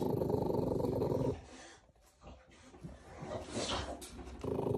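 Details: Two-month-old American Bully puppies at a kennel in Romania growl in a low, rough, rumbling tone for over a second, fall nearly silent with faint shuffling, then growl again briefly at the end.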